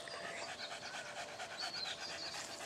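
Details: Blue Staffordshire Bull Terrier, an 18-month-old female, refusing to walk home and wanting a car ride instead; steady rhythmic panting with quick breathy pulses throughout, no other clear sounds.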